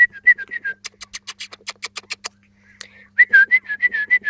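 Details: Jack Russell terrier puppies four weeks old, recorded 28 July 2013, giving short high squeaks in quick series, a pause filled with clicking noises, then another string of thin, wavering whimpers.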